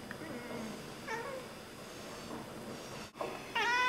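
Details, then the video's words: Indoor Oriental Siamese cats chattering at birds: soft broken chirps early on, a muffled bump, then a sudden bright harmonic chirp rising at the end, with a woman speaking softly beneath. "Oriental Siamese Cats - Talking to the birds"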